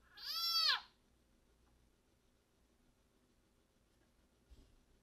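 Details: Wild-caught leopard frog, still alive while a wild-caught broad-banded water snake feeds on it, gives its distress call, said to warn others a snake is near: one loud, drawn-out, strongly harmonic scream arching up then down, under a second, then quiet with a faint thump.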